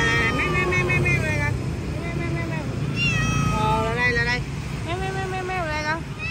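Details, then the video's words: Persian cat at Quán Tiểu Hổ giving a string of rising-then-falling meows, some long and drawn out, with a steady murmur of voices and a low hum of traffic underneath. "Quán Tiểu Hổ Hôm Nay Có Một Bé Mèo Ba Tư."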